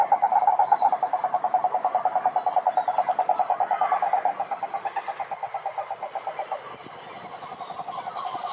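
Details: Wild cururu toads (Rhinella marina) calling at a lake in Brazil's Atlantic forest: a steady, fast pulsed trill, strong at first, then fading gradually over about eight seconds as a second, softer trill carries on.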